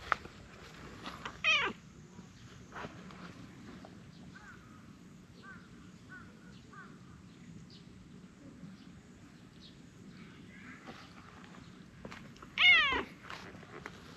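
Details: Orange tabby cat wagging its short tail and seeking affection, giving two loud meows. Each is a harmonic, slightly wavering note. One comes near the start and the other about eleven seconds later, over a quiet background with faint rustling.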